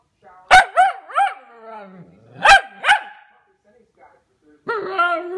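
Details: Pomsky pup talking in short bursts: yelping, bending 'roo-roo' notes in quick pairs, a low trailing moan, a pause, then a longer warbling tone at the end.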